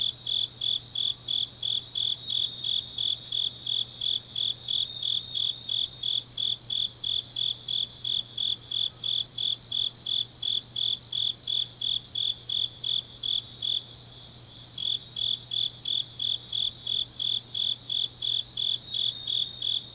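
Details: Deep autumn night in Changnyeong, South Korea, filled with grass insect song: rapid, even chirps repeating around three per second, a short lull near the fourteenth second, then resuming, with a faint low hum throughout.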